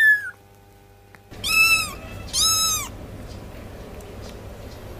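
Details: A cat gives two loud, drawn-out meows with arched harmonic tones about a second apart, over steady background hum and hiss.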